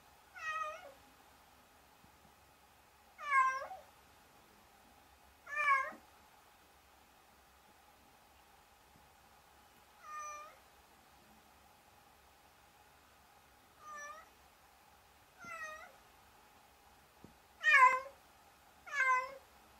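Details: Domestic cat meowing repeatedly in a quiet indoor space: eight clear, bright meows with a rising-falling shape, spaced about two seconds apart, the last two loudest.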